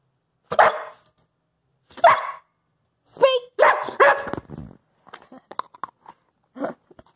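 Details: A wolfdog puppy named Covi gives a few short, hoarse barks and yips with animated gestures, loud bursts spaced about a second apart, ending in softer squeaks and one final yelp; no other sounds.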